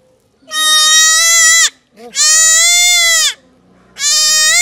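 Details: Goat kid bleating while being castrated: three loud, long, strained bleats, each about a second, harmonic-rich and slightly wavering, with short quiet gaps between them.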